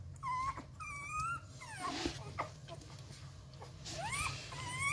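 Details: Hungry 11-day-old Rottweiler puppies at Gervi Kennel, bottle-fed because their mother lacks milk, fussing before feeding time. High whimpers rise and fall in short, wavering whines, several in quick succession with brief pauses, over a low steady hum.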